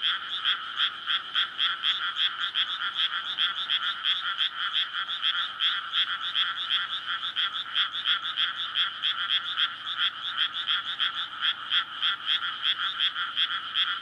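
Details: Many frogs calling together at night in a newly flooded rice paddy in May, a courtship chorus recorded on a SONY PCM-D100: loud, rapid, raspy croaks pulse without pause, densely overlapping from start to finish.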